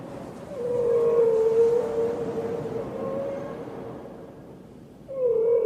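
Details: Killer whale sound: a long, low, level wail with soft overtones, swelling and fading over several seconds, then a second similar tone starting near the end over a rumbling noisy background.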